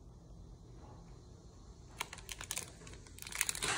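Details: Quiet indoor room hush, then from the midpoint a burst of crinkling, tapping clicks like typing or handled paper, growing louder toward the end.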